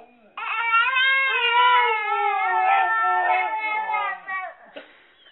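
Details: A Siberian Husky mimicking a baby's babbling gives a long, wavering, voice-like whine that rises and falls like a baby's babble.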